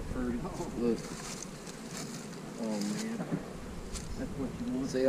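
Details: Honey bees fly close past during the splitting of hives with queen cells. A low buzzing drone swells and bends in pitch as individual bees pass by, over a steady background hum.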